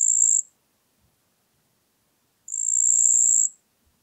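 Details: High, thin buzzing trill of a marsh cricket (Pteronemobius heydenii) at Puntigam, Austria, 4 June 2022: the tail of one burst, two seconds of silence, then a complete one-second trill, nothing else audible.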